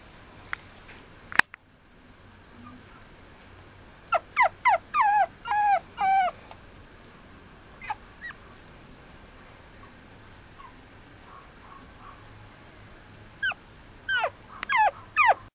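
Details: Male Mame Shiba puppy at a breeder, recorded 5 January 2013, giving bursts of high, thin whining yelps that slide downward, in quick runs separated by pauses, over a steady background hiss.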